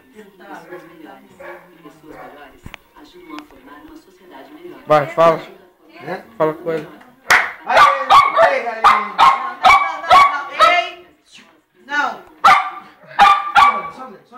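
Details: Pet poodles Jayme and Lendonn, a larger female and smaller male kept as husband and wife. Human voices talk at first, then a run of loud, quick, uneven barks takes over the second half.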